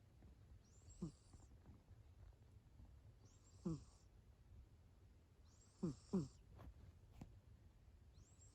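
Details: Abyssinian cat snoring in deep sleep: short raspy snorts every two to three seconds, with a quick double snort near the end, over a quiet low hum.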